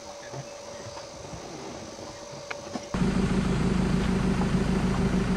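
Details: A quiet outdoor hum with a few knocks gives way after about three seconds to a loud, steady idling vehicle engine, with no animal voice heard.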